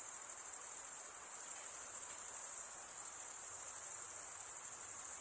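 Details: Crickets chirping, a sound made by stridulation, mostly by males, for an eight-hour relaxation recording: a steady, dense, high-pitched shimmering trill with a fast pulse and no pauses. No other sounds are heard.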